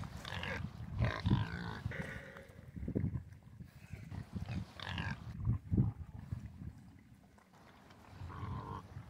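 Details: Domestic pigs on a farm: low, rough grunts come in irregular bursts, with louder, harsher calls rising near the first and sixth seconds and quieter snuffling between them.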